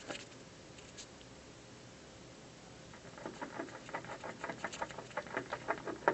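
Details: Squirrel at a windowsill biting into an office building during the afternoon. Near silence for three seconds gives way to a quickening series of sharp crunching clicks that continue to the end.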